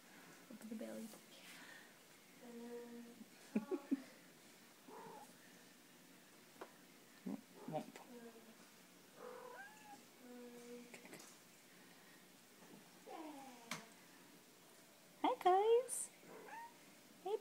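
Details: Kittens and cats playing together indoors: scattered short, soft mews and chirrups, some bending up or down in pitch, a louder cluster of wavering meows near the end, with people chatting quietly in the background.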